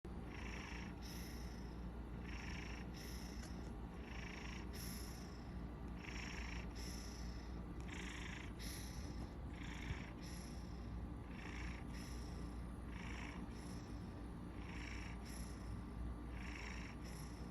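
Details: A sleeping Maine Coon cat, napping, gives a continuous low, rumbling purr with regular breathy, snore-like sounds about every second, rising and falling with each breath.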